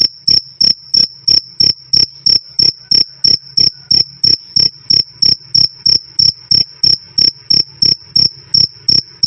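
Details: Loud, clear cricket chirps, the classic 'krik krik', in a long nonstop recording for training songbirds: crisp high-pitched pulses evenly spaced about three per second throughout, over a quiet low background hum.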